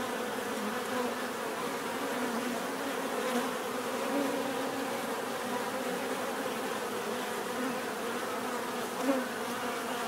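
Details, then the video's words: Dense humming of numerous bees, an unbroken low buzz with small rises and dips in volume and a single brief click near the end. "bees therapy relaxing natural buzzing sound"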